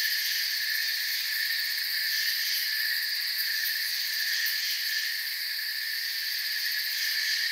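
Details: Forest crickets trilling together in a continuous shrill wash of several high bands that stay level throughout, with faint flickering pulses and nothing else distinct.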